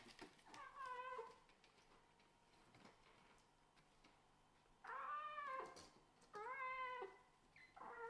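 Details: Tiny kittens of a Scottish Fold and British Shorthair pair compete for the same bed. Three clear, rich meows sound, each rising then falling, separated by a few seconds of faint rustling.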